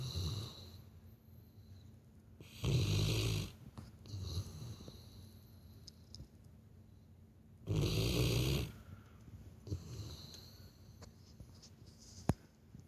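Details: Labrador Retriever asleep and snoring like a human, indoors: two loud, rough, low rumbling snores about five seconds apart, with soft breathing between them.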